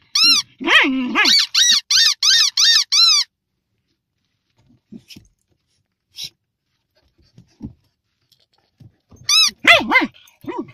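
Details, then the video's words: Fox terrier dog letting out a quick run of about eight rising-falling whines in a row, then a long quiet stretch before a final cluster of high and low moaning cries. "Moaning doggie, fox terrier"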